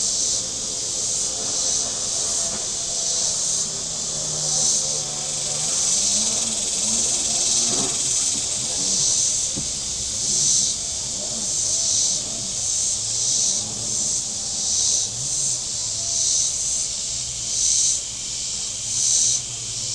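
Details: A bright, buzzing cicada chorus pulses in regular bursts roughly every second along the shore of Table Rock Lake, southern Missouri, on a hot Saturday, while boat engines drone and whine with rising and falling low tones across the water.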